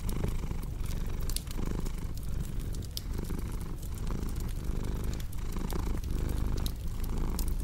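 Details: A cat's low, continuous purr pulses in rhythmic breaths beneath the crackle and snapping of a fireplace burning nearby.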